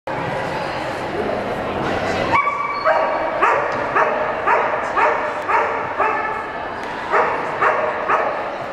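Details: Cardigan Welsh Corgi running a Jumpers agility course at a trial in Portland, September 2007. Short, sharp barks repeat about twice a second over steady background noise from the venue, with voices faintly audible.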